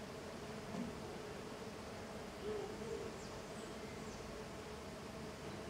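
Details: Tetragonisca angustula, a small golden stingless bee, swarming busily outside its hive. A constant low buzzing drone of many wings, with a few short louder hums rising above it near the start and middle.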